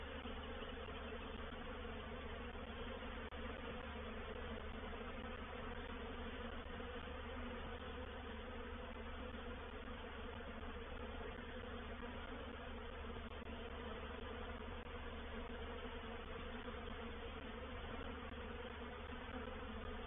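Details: A reproductive honey bee swarm occupying a swarm trap at Painted Peacock Manor on 04/07/21, heard as twenty seconds of unvarying, dense low buzzing from countless bees, with no other clear sounds.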